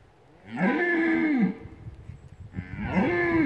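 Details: Red deer stag roaring during the rut at the Lądek Zdrój forest district hunting centre: two drawn-out, hoarse, moaning bellows about a second long each, rising then falling, separated by a brief quiet pause.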